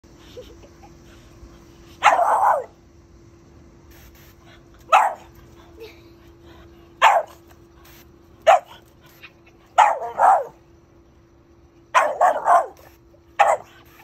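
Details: A Boston Terrier barks in short, sharp bursts, repeated every couple of seconds, apparently wanting to be sprayed with the garden hose in summer.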